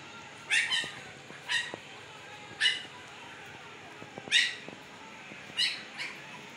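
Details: Newborn Siberian Husky puppies, 15 days old with blue eyes just opened, Pakistan; sharp high yelping whimpers, roughly five spaced over a few seconds, over soft background hiss.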